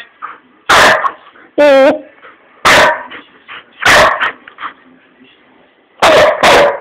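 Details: Hamish, an Old English Sheepdog, having a mad run around the living room at home; loud broadband barks burst roughly once a second, one a higher harmonic yelp, with quieter indoor rustling between them.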